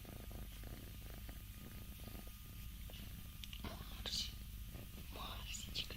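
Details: Scottish Fold cats indoors, four of them yawning: a soft, steady low purr rumbles throughout beneath faint rustling and a few quiet clicks and breathy sounds.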